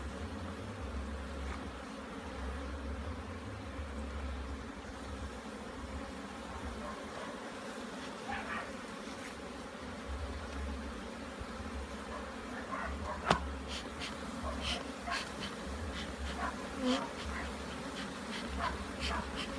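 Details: Bees at a hive in Jamaica during a hive inspection: a steady, low droning hum with layered tones, joined in the second half by scattered sharp clicks and knocks.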